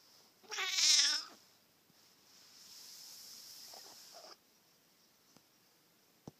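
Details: A pet cat waking up, heard close up. A single short, wavering meow lasts under a second and is followed by a soft, airy hiss-like noise. Quiet follows, broken by a couple of faint clicks.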